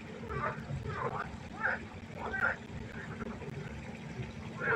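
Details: Frogs calling at night by a pond in a chorus: short throaty bursts repeat roughly every half to one second, some louder and nearer, over a steady background of trickling water.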